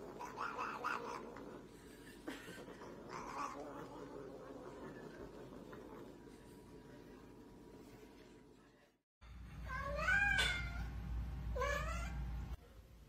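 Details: Pet cat sounding a few rough, low vocal bursts over steady background noise, then after a short break two clear rising-and-falling meows near the end.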